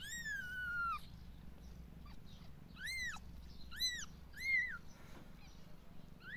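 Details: Five three-day-old kittens give thin, high-pitched mews, one long falling cry followed by short arched squeaks.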